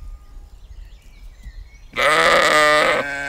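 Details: A Baldwin Welsh Mountain sheep grazing in a field with lambs nearby gives one loud, wavering bleat lasting about a second after a quiet stretch of faint outdoor background.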